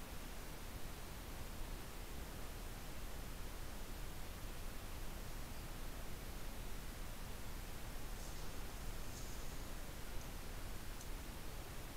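Only a steady broadband hiss and low rumble, with no animal voice.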